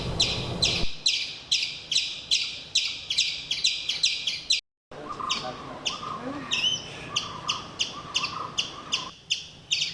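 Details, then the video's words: Tiny forest squirrel near a hotel verandah in Kumily, India, alarm-calling at the hotel's cat while a second squirrel joins in. Sharp, chick-like chips repeat in a rapid, uneven series of about two per second. Lower tonal notes appear after a brief break. "When I heard this chick sound, I immediately recognised the alarm call of one of the tiny forest squirrels. So"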